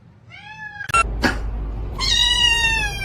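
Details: Indoor cat giving a short clear meow, then loud thumps and clatter, followed by a longer, steady, drawn-out meow.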